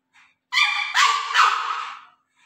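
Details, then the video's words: Juju the pug puppy, near a duck, lets out a long, high-pitched, tonal whine-howl. It lasts about a second and a half, swelling in three surges before trailing off. "pug puppy | juju talking with duck"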